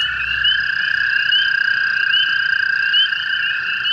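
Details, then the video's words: Hundreds of American toads breeding in a flooded pool near a golf course in Hepworth, Ontario, on the night of May 5, 2016, give a steady, unbroken, high musical chorus trill, with spring peepers peeping. "That. This peaceful sound across North America is the sound of the American toads."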